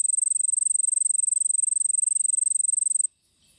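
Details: A cricket in the Nilgiris, India, gives a high, thin, rapidly pulsed trill that runs steadily for three seconds, then stops.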